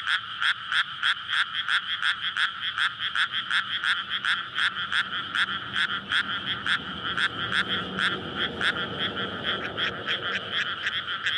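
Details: Courting frogs chorusing in a flooded May rice paddy at night, recorded on a SONY PCM-D100; many repeated rattling croaks, about three a second, with a soft vehicle rumble rising near the end.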